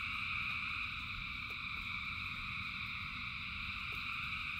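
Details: Frogs calling in the rain, a dense chorus merging into a steady, shimmering trill in several high stacked bands, with a soft low rumble beneath and a few faint drop-like ticks.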